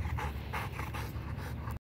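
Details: Young Labrador Retriever Rowdy panting fast in the yard while training on three-legged patterns, quick airy huffs about five per second, then sudden silence.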